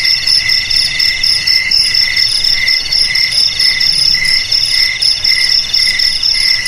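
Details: High-pitched chorus of crickets, rapid pulsing trills layered on three or four pitches, unbroken and even, faint low rumble in the background.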